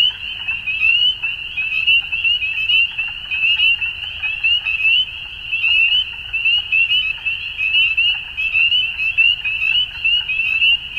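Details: At dusk, a massed frog chorus keeps up a steady high-pitched trill, overlapping callers pulsing irregularly in volume, with faint deep background noise.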